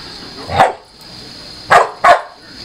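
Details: Pit bull play-fighting with a Maine Coon cat at home, giving three short sharp barks, one early and two close together near the end, over a steady background hum.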